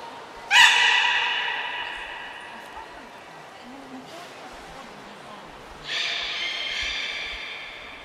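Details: Beluga Niko at the Port of Nagoya Public Aquarium, training on 25 February 2024, gives two separate harmonic calls about five seconds apart, the first sharp-onset and bright, the second steadier, with quiet room noise between.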